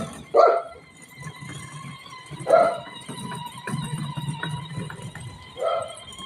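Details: Playful Shih Tzu with its owner, letting out three short, sharp barks spaced a couple of seconds apart over a soft background hum and faint voices.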